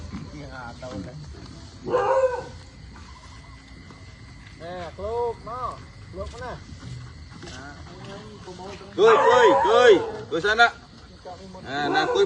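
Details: Dogs running around a back garden in the early morning, giving short arched yelps and barks in bursts, loudest near two and nine to ten seconds, with people speaking Khmer between the calls.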